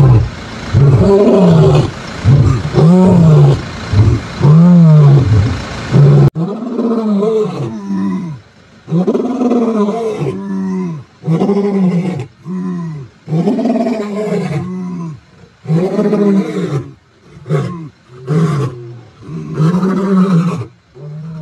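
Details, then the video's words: Mbiri male lions roar on a September morning in 2023: a long run of booming grunts, early ones overlapping and dense, later ones shorter and spaced with clear pauses, trailing off toward the end. "Mbiri Male Lions Roaring this morning"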